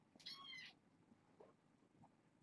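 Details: Short bright kitten meow from a fostered litter settling down for bedtime, a single quick high-pitched cry followed by faint rustling.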